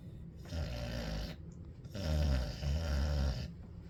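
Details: Ellie the dog snoring on a hot day: two long, rough, low rumbling snores, each lasting over a second with a brief quiet gap between, set against a steady room hiss.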